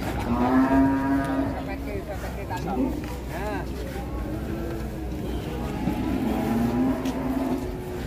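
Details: Large, hard-to-handle cow mooing while its nose rope is changed and snaps; two long, low, steady moos open and close the stretch, with a short rising wail between and handling noise around it.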